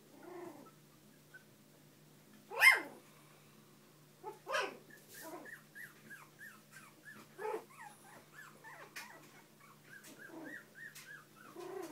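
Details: Bichon and shih poo family, pups and parents, in a small indoor room: a loud yip, then short barks give way to many high, falling whimpers from the puppies.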